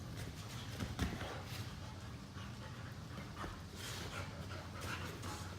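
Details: Panting from two Boxers play-fighting on a couch once they tire of running around. Rapid airy huffs come in uneven bursts, with a brief thump near the first second and a low background hum.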